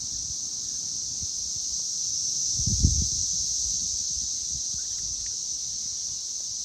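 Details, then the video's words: Cicadas droning loudly on May 24, 2024, at six in the evening. The unbroken high-pitched hum continues while a burst of low thumping and rustling rises briefly in the middle. "Loud Cicadas!"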